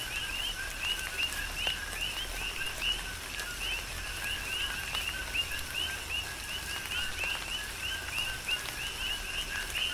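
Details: Coqui frogs in rain on the Big Island of Hawaii: a continuous chorus of bright two-note chirps, rising at the end, crowding together over a soft, even rain patter and scattered drops.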